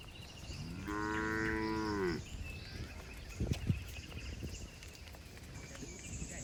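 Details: {'caption': 'Cattle being herded through forest toward the shed, jumping happily; a single deep, steady moo of about a second, followed by clattering, knocking footstep-like sounds and background rustle.'}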